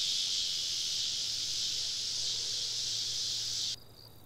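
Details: Summer evening cicadas in southern woodland, a camping trip recording: an even, high, sizzling drone that holds steady, then cuts off abruptly near the end, leaving only faint high tones.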